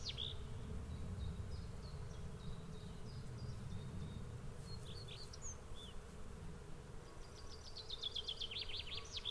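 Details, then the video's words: Swarming bees make a constant, deep hum. Birds call across it with short high chips early on, scattered whistles midway, and a fast twittering trill toward the end. "Swarm of Bees Sound Effect"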